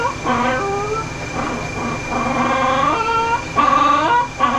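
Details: Ollie, a vocal dog brushed out during mobile grooming in Oklahoma, USA, gives short, repeated, slightly rising harmonic whines in bursts about a second apart, with a steady faint machine tone behind.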